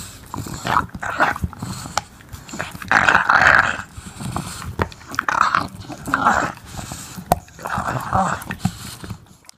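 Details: An English Bulldog gnawing on a bone makes bursts of low grumbling, snorting noises with short gaps between them.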